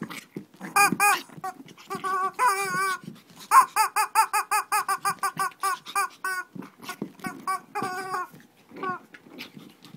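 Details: Shih Tzu in a mini fight indoors in Kochi, Japan: rapid high yelping barks and squeals, harmonic and sharply rising-falling, packed in dense bursts nearly nonstop for ten seconds, a brief lull near the end.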